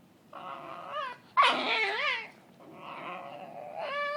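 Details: Cookie, a dog playing indoors with another dog named Bane, gives long drawn-out whining moans, wavering and bending in pitch, with a sharp squealing yelp in the middle; close and loud.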